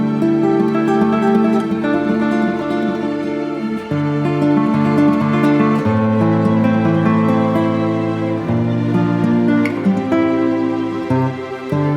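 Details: Gentle plucked guitar music plays throughout, with no animal sounds heard.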